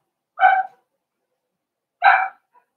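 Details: Four-week-old Cavalier King Charles Spaniel puppies in an indoor puppy pen, two short harmonic yelps about a second and a half apart, otherwise silent.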